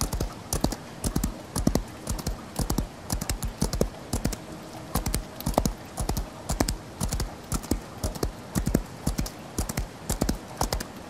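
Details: Galloping horse heard in falling rain, hooves striking in rapid bursts of three or four thuds that repeat about once a second, with a constant rain hiss filling the background.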